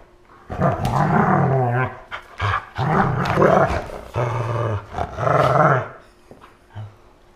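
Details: Indoor play fight between a Siberian husky and a malamute lying down, August 2014: long, rolling low growls in five or six surges, nearly continuous for five seconds, with a short grunt at the close.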